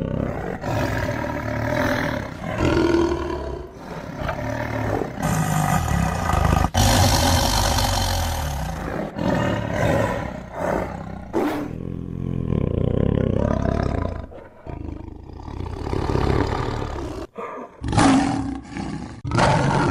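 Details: Tiger roaring in abruptly cut segments: rough, rumbling roars and growling snarls, some loud and broad, with sudden jumps between pieces and a quieter patch near fifteen seconds.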